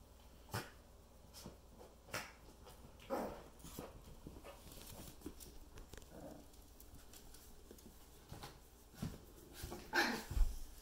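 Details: Yorkshire Terrier x Poodle puppies, male, learning to climb stairs indoors in a small room; a few short, soft whimpers around three, six and ten seconds amid clicking paw steps and thumps on the steps.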